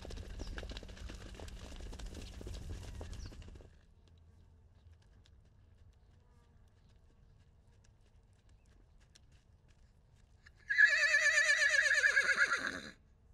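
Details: Wild baby horse separated from his mother at the Salt River, Arizona, recorded with a long range microphone: after near quiet, a loud, quavering, tremulous whinny of about two seconds; earlier, low rumbling outdoor noise and scattered knocks.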